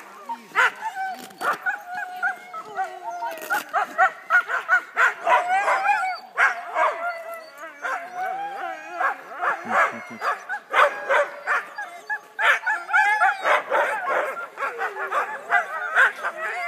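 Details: Many huskies at the Husky Works Mushing Company in Wardsboro, Vermont, getting ready for mushing: a dense, overlapping chorus of excited yips, barks and wavering howls, almost continuous with constant loudness swings.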